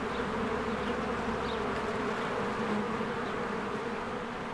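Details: Many honeybees working at a beehive in spring, flying in and out: continuous droning buzz with layered steady tones, a few faint short chirps high above, no music.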